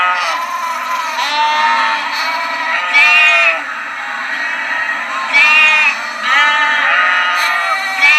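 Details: High lamb bleats, several wavering cries with sharp bright onsets, repeated roughly every two to three seconds over overlapping calls and a low steady hum.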